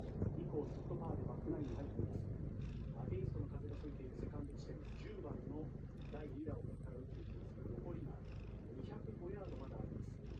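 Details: A kitten purrs while kneading and sleeping: a low, continuous rumbling purr with a rapid pulsing texture, overlaid by soft, fast clicking and suckling sounds throughout.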